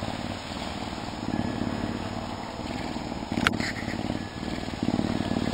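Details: Deep purring from a captive Canada lynx serving as an animal ambassador, recorded in February before a storm: steady low throbbing pulses in rolling bursts, a short sharp click midway.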